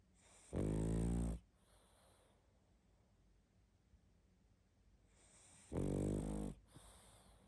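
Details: Pug snoring hard in its sleep: two long, harsh, buzzy snores about five seconds apart, each trailed by a faint breath.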